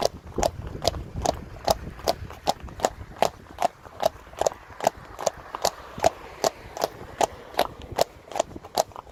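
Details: A Friesian horse herd with young foals moves along a road, hooves striking hard pavement in a steady clip-clop of crisp knocks at roughly two and a half per second.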